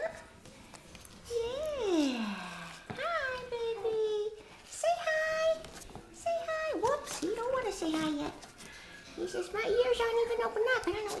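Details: Two three-week-old apricot poodle puppies, male, eyes open but ears not yet open, give a run of high, thin, slurred whines and squeals, several sweeping down in pitch, in quick irregular succession with short pauses in between.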